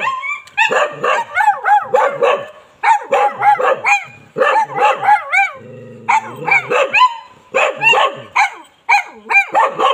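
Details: A Bali dog barks in quick bursts of sharp, yelping calls with bending pitch, grouped in runs separated by short pauses, and a low steady hum briefly audible between bursts.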